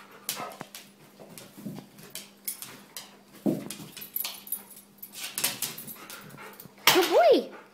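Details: Labrador Retriever indoors, excited as a person urges it to go get its leash; scattered soft whines and snuffles, ending in a louder rising-then-falling whimper, with a person's voice talking throughout.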